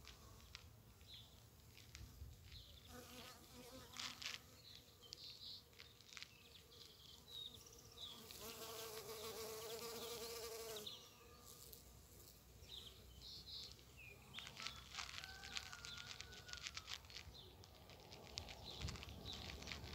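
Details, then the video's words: Among the season's first bumblebees, flying at primroses and snowdrops in spring: a rich buzzing hum with clear overtones that grows loud near the middle, then fades, with small birds chirping and twittering around it. "Первые Шмели"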